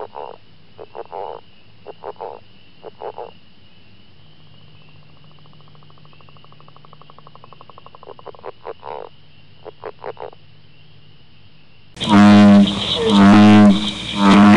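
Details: Frogs from the recordist's local area calling: pulsed croaking bursts in small groups, a long rattling train of rapid pulses in the middle, and a steady high tone behind, before a loud, different sound cuts in near the end.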